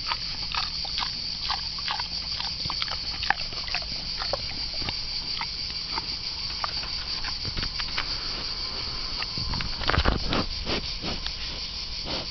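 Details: A wild boar eating bananas chews noisily, with wet crunching and smacking that comes in quick, irregular bursts.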